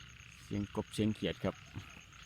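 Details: Frogs still calling around 7 a.m. in rice fields after rain, with the sun already high: a run of short, deep, throaty croaks in a burst of about five pulses, over a steady insect hum.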